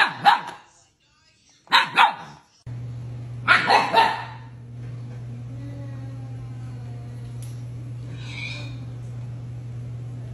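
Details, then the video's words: Siberian Husky puppy talking back and acting mad: three short, rough, bark-like bursts over about four seconds, followed by a steady low electrical hum with no further calls. "Funny Arguing Husky Videos! Dog Talks Back So Funny!"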